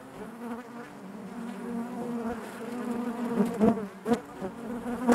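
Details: Colony of honey bees humming within their hive, a low continuous buzz that slowly builds, with a few close, louder wingbeat bursts in the final seconds.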